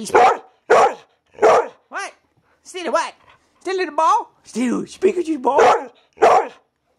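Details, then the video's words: Pet dog protesting that her sister has the ball: sharp barks spaced about every three quarters of a second, mixed with rising and falling whining yowls and wavering vocal moans. "Steeler speaks"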